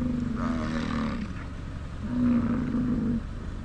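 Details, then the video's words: Elk bugling in Yellowstone National Park in fall, recorded on a GoPro: two drawn-out roaring bursts, each a low droning tone with a fainter higher whistled band above it, separated by a short pause. "Elk Bugling"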